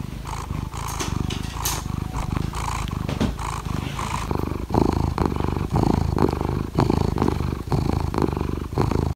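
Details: Pet cat asking for petting in the morning, purring close up: low throbbing rumble in rhythmic pulses roughly once per second, briefly softer around four seconds then louder again until the end.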